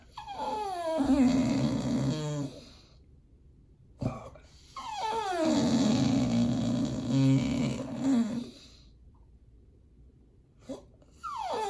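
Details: Pit Bull begging at feeding time indoors while raw food is prepared: long drawn-out whining whimpers with sliding pitch and growly undertone, two extended bouts separated by short quiet gaps, then a brief rising whine at the end.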